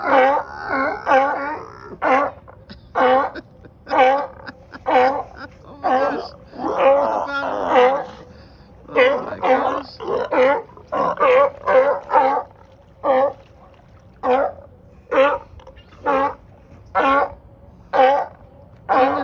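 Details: Many sea lions and seals on a dock in Marina Del Rey, California, calling loudly to one another; dense overlapping hoarse barks and moaning honks, some runs rapid, later spaced about a second apart, with a person's voice at times.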